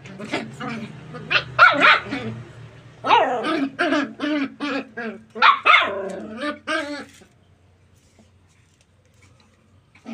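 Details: Puppies playing in a tight area, running and jumping, give a quick run of high, yappy barks in dense bursts, several overlapping, for about seven seconds before it falls quiet.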